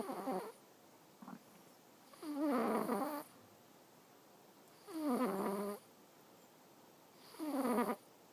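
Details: Sleeping domestic cat named Awaru snores steadily. Each snore is a raspy, harmonic drone lasting about a second, repeating roughly every two and a half seconds with silent gaps.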